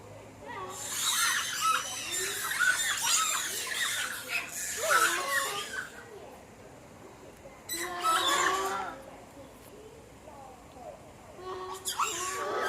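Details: Formosan rock macaques at a zoo, recorded 14 February 2020, giving harsh, broadband squealing screams in two long bouts, then a shorter burst near the end, with a murmur of background noise between.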